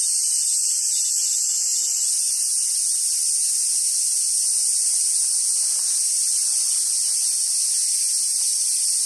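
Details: High continuous cicada drone in summer at Awaji Island Monkey Center, Sumoto, Hyogo, Japan, where wild Japanese macaques live; the buzzing pitch shifts slightly after two seconds, then holds steady, with faint low knocks.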